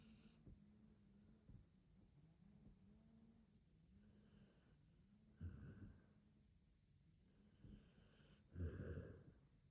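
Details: Akita named Hachi asleep, snoring softly: low rumbling breaths with faint repeated wheezy tones, louder snorting exhales near five and nine seconds, quiet indoor background.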